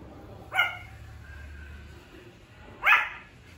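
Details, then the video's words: Early puppy barks from a male Pomeranian: two sharp, high yaps about two seconds apart, with quiet room background between them. "Pomeranian barking voice💕| puppy’s first bark."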